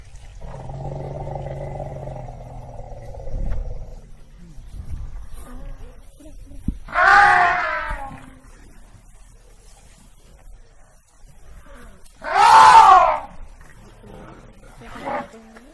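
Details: African elephant: a low, droning rumble, followed by two loud, brassy trumpeting blasts about five seconds apart and a short fainter blast at the end.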